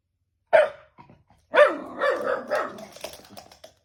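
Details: A Shiba Inu barks at something no one can see, giving one sharp bark, a short pause, then a rapid run of three or four harsh barks trailing into lower, rougher yaps.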